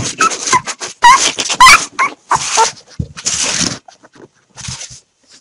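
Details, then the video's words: Five 3-day-old puppies, rescued after being thrown in a bag from a bridge hours after birth, wait to be hand fed milk; loud high squeaky whimpers and yelps come in rapid uneven bursts, some with rising whistled tones. "Five (3 Day Old) Puppies Before Feeding Time!"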